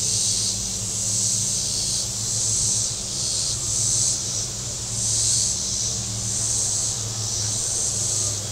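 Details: Shoreline cicadas at Table Rock Lake, southern Missouri, on a very warm Saturday, a shrill droning chorus pulsing in waves roughly every second or so, over a steady low hum of boats running on the lake.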